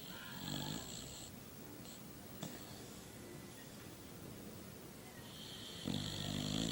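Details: Snoring sleeping dog, a quiet recording: a raspy snore opens the clip, then a hushed pause, then a louder buzzing, rattling snore near the end.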